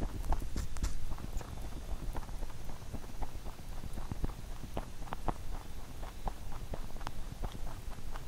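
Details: Pet rabbit Huchu eating a carrot songpyeon made for Chuseok, close-up: dense, rapid crunchy clicks and soft gnawing taps run almost continuously, with a few louder bites near the start.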